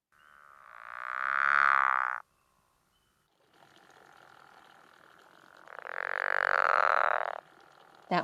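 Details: A pickerel frog in the Chicago region, an April–May breeder, gives two long, snoring croaks. Each is a rasping, drawn-out note of about two seconds, made underwater with an inflated vocal pouch and likened to a meow or an angry cow.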